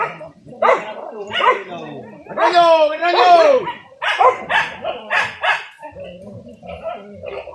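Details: Village dogs pursuing wild boar on a traditional dog-and-spear hunt, giving irregular barks roughly every second, including a long wavering howl-like yelp, mixed with men's voices.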